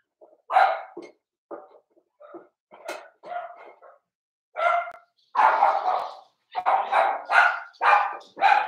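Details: Daisy's Cavalier King Charles Spaniel puppies, four weeks old, penned indoors, bark in a lively run: scattered small yips at first, then a dense series of loud, high, rough barks, several overlapping as the litter joins in.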